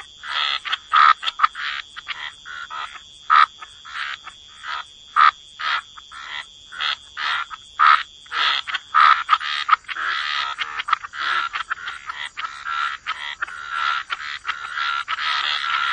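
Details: A chorus of croaking frogs in wetlands: short rasping croaks repeated at uneven intervals that grow denser and nearly continuous toward the end, with a steady high-pitched hum throughout.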